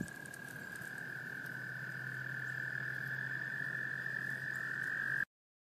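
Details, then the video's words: An American toad in a small pond in Laurens County, South Carolina, USA, in March 2014 gives a long, steady, high musical trill: males calling in females to breed and grasp them in amplexus. "American toads, Breeding behavior"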